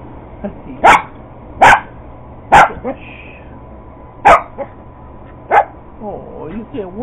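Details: Purebred Cocker Spaniel going after an iRobot Roomba robot vacuum, giving five sharp, loud barks at uneven intervals over about five seconds, with a person's voice talking near the end.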